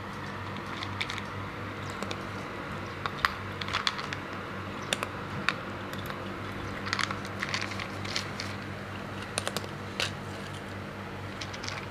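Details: Scattered crisp clicks and crunches, like chewing or typing, over a steady low indoor hum, with no animal voice.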